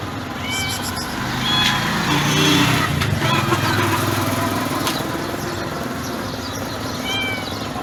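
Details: Calm white stray she-cat, yellow-eyed with a yellow tail, found beside trash cans by a building, makes sweet soft meows: a couple of short upward mews early and another near the end, with low rumbling background noise between.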